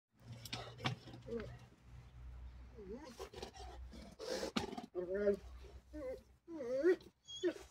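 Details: Female Bulgarian Shepherd dog, indignant at cats nearby, gives wavering, moaning grumbles with rising and falling tones in the second half, with a woman talking to her throughout and brief music at the start.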